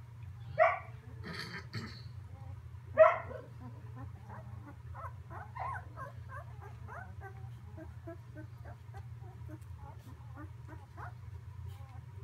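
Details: Samoyed puppies, a mixed litter in a whelping box on Prince Edward Island, Canada; two sharp yelps early, then many soft short squeaks and whimpers overlapping, over a constant low hum.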